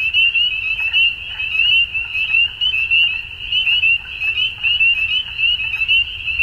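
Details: Dusk frog chorus of many animals, a steady high-pitched shimmering trill made of quick pulses, with intermittent softer clicks and chirps swelling and fading beneath it over a faint low background hum.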